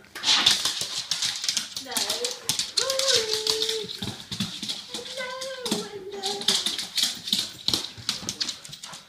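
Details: Soft Coated Wheaten Terrier, 18-month-old male, giving his usual excited greeting indoors: high, wavering whines that slide and hold, mixed with constant rustling, scrabbling and people talking.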